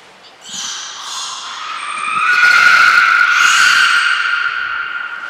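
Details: Training session for belugas Hodoi, Gray, Nana and Niko at Port of Nagoya Public Aquarium on 5 June 2021; a long, buzzy, harmonic vocalization swells and holds, with a brief high whistle-like tone heard amid the calling.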